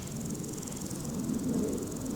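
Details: A grasshopper's faint, high, rapidly pulsing buzz runs steadily behind low wind rumble, heard outdoors on a walk in Scotland.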